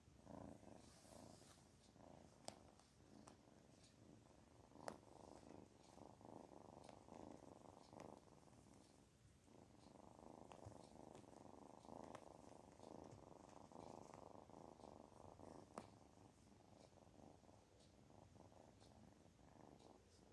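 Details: A kitten feeling good purrs softly and steadily indoors: a low, continuous rumbling vibration that swells and eases over about twenty seconds. A few faint clicks and handling sounds are heard.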